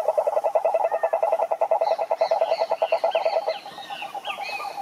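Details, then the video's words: Croaking toad giving a rapid, buzzing trill of evenly spaced mid-pitched pulses for about three and a half seconds. Then it fades and bird chirps and twitters take over. "Som do Sapo Coaxando"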